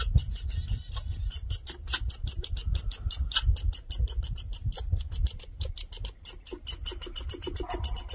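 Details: Red squirrel raising a fuss, a grouchy male demanding attention: dense, rapid, clicking chatter, many sharp notes each second in an unbroken scolding run, low rumble underneath.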